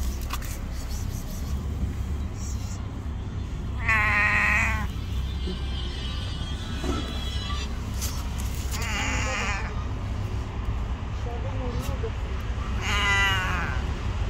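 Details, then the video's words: Stray cat hiding under a wall and crying, afraid of being hurt; three drawn-out, wavering meows, one every four to five seconds, over a steady low rumble of passing traffic. "The cute cat is hiding under the wall and crying, thinking that I will hurt her."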